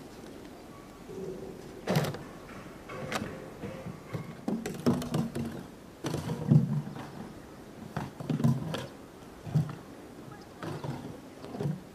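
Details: Dull thuds, knocks and clattering impacts with faint low murmurs. No clear animal voice stands out.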